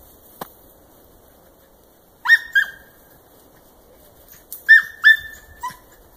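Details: German wirehaired dachshund voicing on a cottontail rabbit trail while hunting; two short pairs of high, clipped yelps separated by quiet, with a single faint click at the start.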